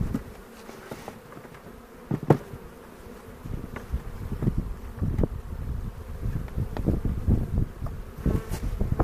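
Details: Honey bees droning as hobby beekeepers inspect a hive in the foothills near Cochrane on April 27, 2018, recorded on a 360 camera; continuous deep buzzing swelling toward the end, punctuated by knocks and frame scrapes.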